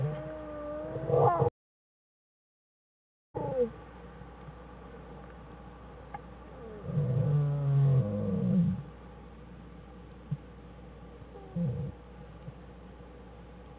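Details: Den scene from January 1, 2013 with American black bear Jewel and her cubs Fern and Herbie: a squealing whine at the start, a pause, then a cluster of loud low buzzy bursts mid-clip and fainter ones later.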